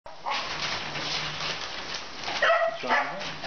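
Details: Puppy, 34 days old from a litter, recorded 24 January 2015: after a stretch of broad rustling noise come two short, high, tonal yelps near the end, followed by a person's voice.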